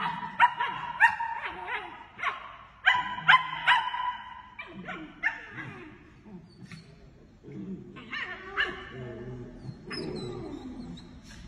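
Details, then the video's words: German Shepherd puppies in a group yelp and whimper in quick, uneven runs of high squeaky cries, busiest early then thinning into softer whines, with low rumbling sounds underneath. "berger allemand chiots adorables"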